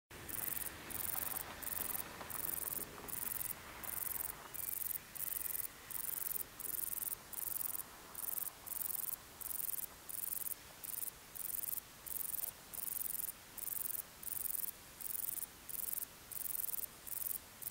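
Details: Male Bicolor Meadow Bush-cricket (Bicolorana bicolor) recorded on 12 August 2019 at Torcegno, Trentino, Italy, giving its calling song: high, hissing buzzy bursts repeated steadily at nearly four per second, separated by short clean gaps, over a faint low background.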